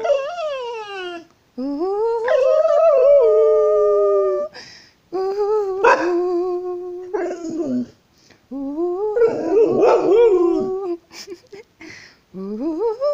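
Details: An American Staffordshire Terrier "sings" along with its owner, howling in long, wavering tones that rise and sag, with the person's voice nearby.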